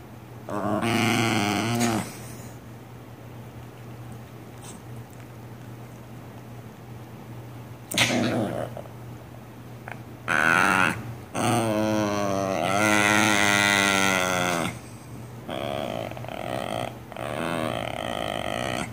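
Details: Pet cat heard indoors, giving drawn-out harmonic meows and yowls, one long wavering cry rising and falling near the middle, with short bursts between and steady background hum.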